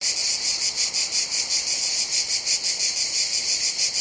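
A cicada sings a dense, high-pitched buzz. The sound throbs in rapid, even pulses, about eight to each second, with almost nothing in the low range.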